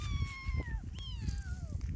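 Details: Kitten without its mother crying twice in quick succession. Each plaintive meow starts high and bends downward, over steady low rumbling noise.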